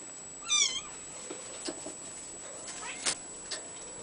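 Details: Abyssinian kitten giving one short, high, wavering meow near the start, followed by soft clicks and light tapping noises against a constant thin high-pitched whine.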